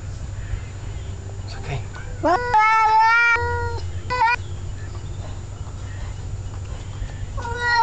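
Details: Male domestic cat telling off another male cat, two males together: a few short calls, then a loud drawn-out harmonic yowl lasting about a second, followed by brief clipped calls against a low indoor hum.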